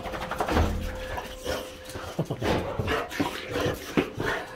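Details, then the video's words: Boxer dogs, several, excited at being picked up from dog daycare, whimpering and giving short yelps indoors, with bursts of panting and a person's voice in the background. "Happy and crazy boxers picked up at dog daycare!"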